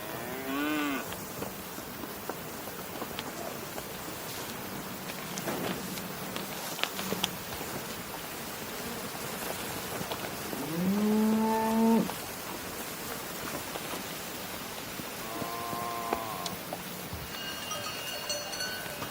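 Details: Cow mooing several times: a short moo at the start, a louder rising moo near twelve seconds, then a softer one, with light patter like rain and faint high tones in the background.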